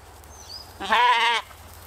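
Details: A Katahdin sheep playing with the flock on a Michigan homestead one evening gives a single wavering, nasal bleat lasting about half a second.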